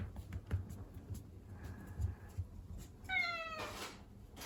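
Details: Indoor Ragdoll cat with one bright meow near the end, level then dropping, followed by a brief rustling noise; soft low thumps and handling sounds come before it.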